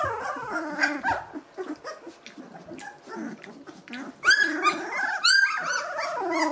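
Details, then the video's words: Two-week-old Gordon Setter puppies, eyes and ears newly open, whimpering and squeaking in a litter; overlapping high, wavering whines and short yelps, louder bursts of squealing toward the end. "Gordon Setter Welpen E-Wurf #03"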